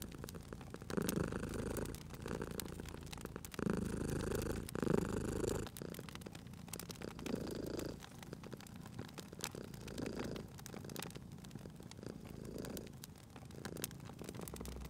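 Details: A sleeping cat purrs next to a crackling fire, its low rumble pulsing with each breath, loud in the first half and then softening, while wood snaps and pops continue throughout.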